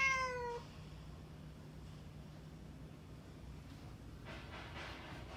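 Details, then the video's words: Somali or Bengal cat giving one short, steadily falling meow at the start, followed by a long stretch of quiet room noise with a faint rustle near the end. "猫の鳴き声 ソマリ 〜ベンガル"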